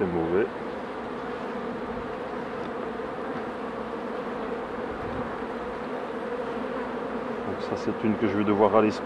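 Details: Honey bees humming at hives as a beekeeper works them: a dense, steady drone holds throughout, with a man's voice briefly at the start and again near the end.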